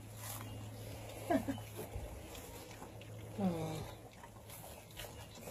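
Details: Catahoula Bulldog puppies, 25 days old, eating their first meal: two short squeaky whines with bent, wavering pitch about two seconds apart, over steady lapping and chewing clatter, a low hum and occasional human voices.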